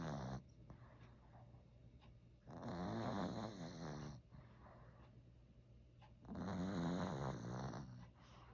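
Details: Snoring Maltese dog named Joker, born December 2015, recorded at home: two long, loud, gravelly snore bursts roughly four seconds apart, separated by quieter wheezy breaths.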